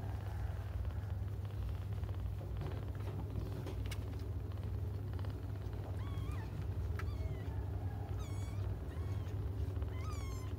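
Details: Kittens crying while they wait for their mother to come back: thin, high, rising-and-falling mews, several clustered in the second half, over a constant deep engine-like rumble.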